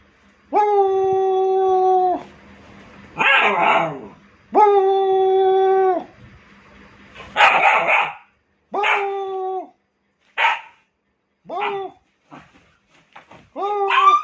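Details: A pet dog alternates long drawn-out howls with short rough barks and yelps, the calls growing shorter and choppier toward the end, with a final rising howl.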